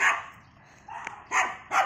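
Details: Poodle during a morning walk, letting out one bark, a short pause with a faint click, then two more sharp barks in close succession.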